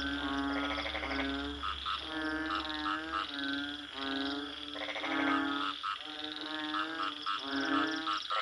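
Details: Frog croaks in pulsed, rasping bursts roughly every second and a half, with short bright notes between them, over a continuous low harmonic drone and a faint low rumble.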